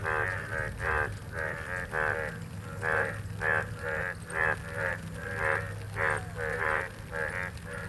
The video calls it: real frog sound in the 🌧️🐸